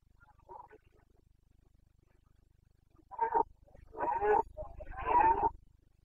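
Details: Carpathian red deer stag roaring in the boncănit rut, the breeding season of 15 September to 15 October, in the Bucovina mountains, 29 September 2022; near-silence, then three hoarse, rasping roars, each longer and louder than the last.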